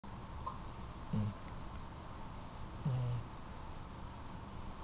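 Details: Riley, a female yellow Labrador Retriever, snoring while asleep in her owners' bed indoors at night; two low, rumbling snores arrive about two seconds apart over a quiet room hush.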